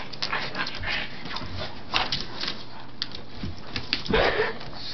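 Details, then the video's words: Karma, a pug, trying to reach the chew belonging to his brother Bentlee, another pug. The sound is a run of short, noisy, breathy bursts, like snuffling and panting, with scratching-like rustles. A louder huff comes near the end. "Pug tries to get his brother's chewy"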